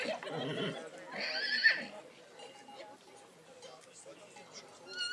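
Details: A Black Forest draught horse whinnies at the St. Märgen foal show, August 2022: one bright, wavering neigh lasting about a second. A man's voice comes just before it, and quieter chatter and crowd noise follow.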